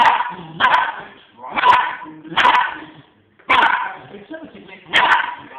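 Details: A female West Highland White Terrier barks in sharp, repeated bursts at dogs she sees and hears on television, over a background of TV speech.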